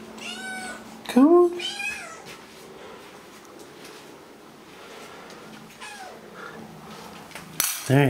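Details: Sphynx cat, one of the pair Nathan and Pippin, playing indoors; two drawn-out, bright meows in quick succession, the second swooping up then falling, followed by a quiet room and a sharp knock at the end.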